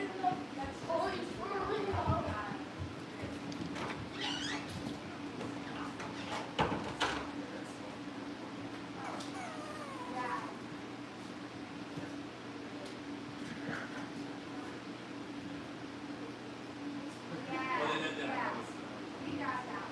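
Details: Cavalier King Charles Spaniel puppies at home being readied for family pick-ups give short harmonic whines and yips in scattered bursts over a steady low hum, with faint human voices in the background.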